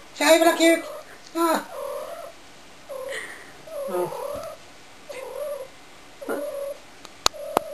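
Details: Shy, a domestic cat being annoying at home, meows insistently, about seven wavering cries roughly a second apart. A human voice opens the sequence and two sharp clicks come near the end.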